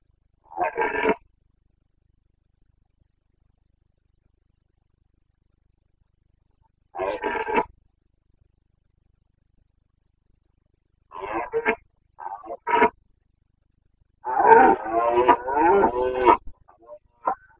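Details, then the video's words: Carpathian red deer stag in the Bucovina mountains during the rut, 29 September 2022: separate harsh, harmonic roars, short ones early and a longer run of several grunting bellows near the end, with silent gaps between. "Boncănit / Carpathian stag Breeding season 29.09.2022"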